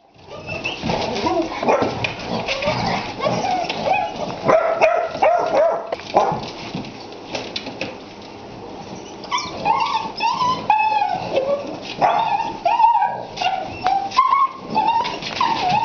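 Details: A nearly three-month-old male bicolor Basset Hound puppy gives a run of high, wavering whines and short yips.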